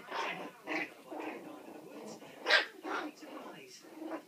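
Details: Puppies aged four weeks and four days at play, a steady run of rough, breathy little yaps about twice a second, one louder bark standing out midway.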